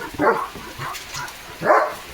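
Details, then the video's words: German Shepherd Dog Leo, drenched in the rain and in a playful mood, gives two short, loud barks about a second and a half apart against the background noise of falling rain. "Leo The German Shepherd पावसात भिजत भिजत भुंकतोय"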